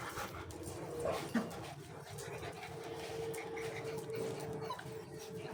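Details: Golden Retriever puppies in Dubai give soft, thin whimpers and brief whines over a steady background hum.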